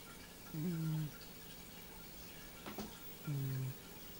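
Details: Domestic cat named Nino asleep and dreaming, two low droning snores about three seconds apart, steady in pitch, with a faint click between them in a quiet room.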